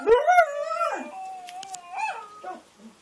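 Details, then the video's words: A dingo kelpie mix dog, set off by a recording of other dogs, gives a short rising howl that levels off, then fainter wavering howl fragments and whimpers trailing away. "Our little dingo, kelpie mix howling at a youtube video of other dogs"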